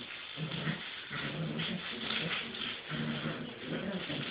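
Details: Two eight-week-old puppies at play, still fond of a kitty agility tunnel, make a continuous stream of low, rough growls and grumbling whines, with rustling and scuffling throughout.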